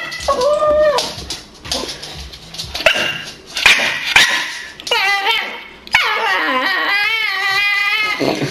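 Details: Staffordshire Bull Terrier making strange noises: drawn-out whining and yowling tones that rise and fall, some bending down then up, with short breathy gaps and a long wavering whine toward the end.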